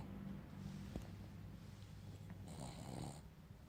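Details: Sleeping Boston Terrier with a steady low, droning snore that hums throughout, rising into a brief hissing, raspy breath near the end.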